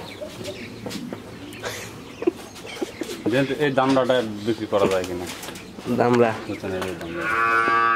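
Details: Fourteen-month-old Friesian heifer calf in Pabna, Bangladesh, lowing in a run of short, deep calls one after another, with a higher tonal sound at the very end and some background noise.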